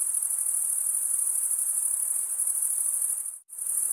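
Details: Crickets chirping by stridulation, males rubbing wing against wing, in a steady high trill that cuts out abruptly for a split second near the end before resuming.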